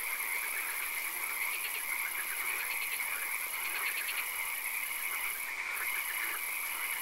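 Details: Frogs calling in a swamp at night: a dense chorus of short pulsed croaks, repeated in quick bursts every second or so, over a steady high-pitched hiss and constant background noise.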